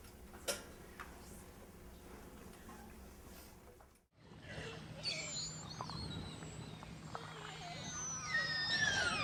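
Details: Northwest Atlantic killer whales off Newfoundland and Labrador, in an older recording made during an attack on humpbacks, give high, sweeping squeals and whistles over a steady low hum and underwater noise; humpback groans and thrashes may also be heard.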